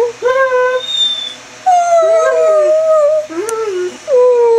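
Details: Greyhound Chevelle's roo and whine combo: thin wavering whine-like tones overlapping lower warbling howled notes, ending with a steady falling howl.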